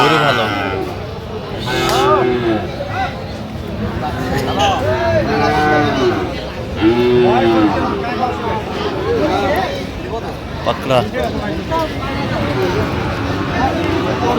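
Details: Sahiwal bull calves at a cattle market in Mymensingh, Bangladesh, 11 October 2025, lowing repeatedly: several short, nasal, arched moos from more than one animal overlapping, amid constant crowd chatter and men talking.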